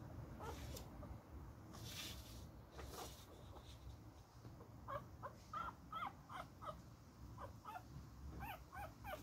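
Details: A little beagle puppy in a playful fight, letting out rapid clusters of high squeaky yelps and whimpering barks, bursts coming about every half second in the second half, with scuffling noise and low background hum.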